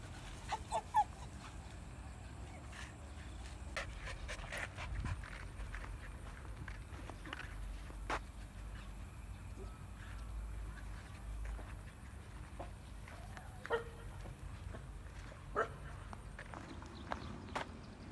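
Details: Miky, a female husky dog, out on a walk in a village, panting in soft, breathy, rhythmic puffs at low volume, with scattered clicks and rustles from the walk and a hint of a voice in the background.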